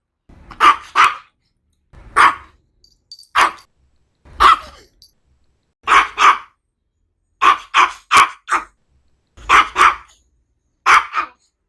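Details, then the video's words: Maltese dog barking in short sharp yaps, single or in quick pairs and triplets, bursts spaced about one to one and a half seconds apart, high-pitched and bright, with silence between and no other sounds. "CACHORRO MALTÊS LATINDO 🐾SOM DE CACHORRO 🐾 BAKING MALTESE DOG"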